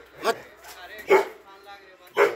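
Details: Doberman dog giving three loud, separate barks spaced about a second apart, with voices speaking Hindi about monkeys in the background.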